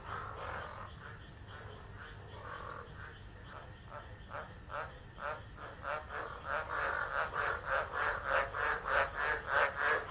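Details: Tropical frogs calling during a tropical low storm at Driver, Northern Territory, Australia, on 13 December 2013, recorded on a phone left on the ground; a chorus of pulsed croaks that builds from faint to loud, with rapid rhythmic pulses.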